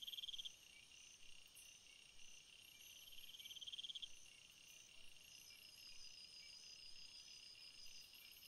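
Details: Field crickets among wildflowers, a continuous high-pitched shimmering chorus broken by two short pulsed chirp bursts, one at the start and one a few seconds later, then steady trilling.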